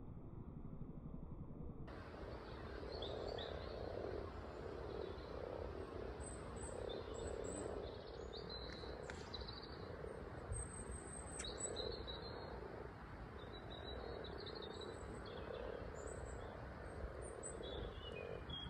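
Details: Many frogs at a local pond full of frog spawn, giving a low, continuous purring chorus that rises and falls gently, with faint high bird chirps and soft background rumble.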